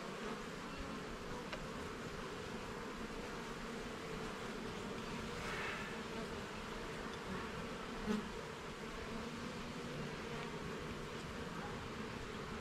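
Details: Garden beehive under inspection, its honey bee colony filling the air with a continuous low hum that stays level for the whole stretch. A single soft knock stands out near the eighth second.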